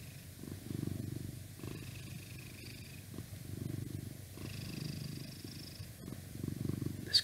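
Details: A 12-year-old male pet cat purring indoors beside a laptop, a low rough rumble pulsing in breath-like swells roughly every second, with a faint thin tone and light room noise.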